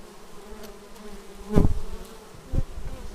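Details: Bees arriving at a beehive, filmed on an action camera: continuous low droning buzz of wings, with two loud close fly-bys.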